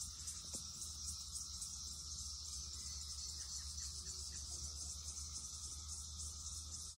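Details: Red-eyed cicadas swarming a tree during the huge 2021 emergence; high buzzing drone with faint rhythmic pulsing, quieter than before, ending abruptly.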